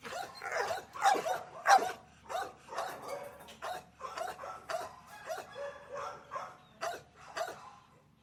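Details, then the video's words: Small dogs in an outdoor kennel giving a steady chorus of high, yappy barks, roughly one or two every second, overlapping and uneven, with brief whines mixed in. "Small Outdoor Dog Kennel Sound Effect"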